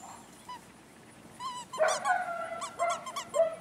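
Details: Imported German Shepherd puppies, a litter of females whelped May 17th, 2016: a burst of high, thin whines and squeaky yelps from several pups, overlapping and repeated in quick succession, in a quiet setting.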